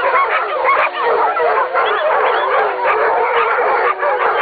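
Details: Several dogs howl together in a thick, continuous chorus of looping, bending notes that overlap constantly, with a brief dip in loudness near the start and end.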